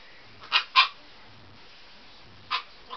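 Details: A Siberian Husky puppy named Fiona plays on a bed before bedtime. It gives two quick high yaps in close succession, then another yap two seconds later and a softer one at the end.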